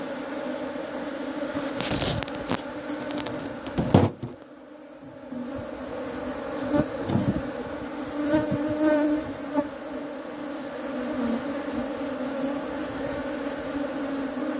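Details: Steady droning hum of honey bees, with loud thumps and clattering knocks early on, a brief quieter gap, then the buzzing swells again and continues evenly.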